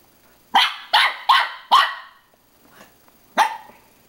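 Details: Pippin, a dog, barking at his own reflection in a mirror: four sharp, loud barks in quick succession, a pause, then one more bark; quiet room otherwise.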